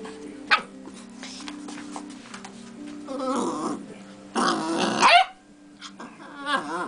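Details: Young beagle puppy vocalizing in short noisy bursts of barking and growly yelps, followed by a wavering whine near the end, with steady background music throughout.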